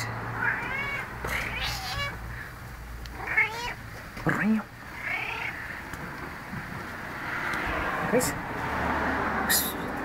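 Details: Gracie, a talkative pet cat around 12 years old, meows repeatedly indoors: several short, wavering meows that rise and fall in pitch, spaced a second or two apart, while a woman talks to her over a low steady hum.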